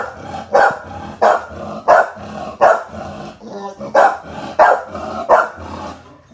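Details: Thatcher's mum, an American Bully filmed in the Philippines, gives repeated sharp barks about every two thirds of a second, with a short break of softer noise midway and a faint low hum throughout.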